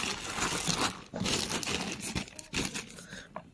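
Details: Loud crunching, crinkling and tearing noises in a small room come in irregular bursts, with no animal voice.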